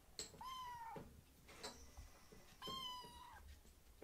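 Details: Two young rescued foster kittens begging for food at a person's feet as a meal is prepared indoors, their chorus fairly restrained; two clear drawn-out meows, the first short and slightly falling, the second longer and steady, in a quiet room.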